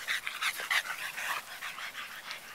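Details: Three pied French Bulldog puppies playing in a yard give quick, squeaky high yips and whimpers in a rapid, uneven patter.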